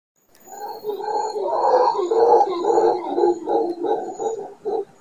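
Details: Howler monkeys very close to a condo balcony in the Guanacaste region of Costa Rica, calling in the morning: a loud, hoarse, rolling roar of rapid pulsed grunts rising and falling for several seconds.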